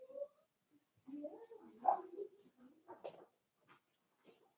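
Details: Five-week-old Cavalier King Charles Spaniel puppies from Daisy's litter in their indoor puppy pen give wavering, whiny cries that rise and fall, with short higher squeaks toward the end and quiet room sounds.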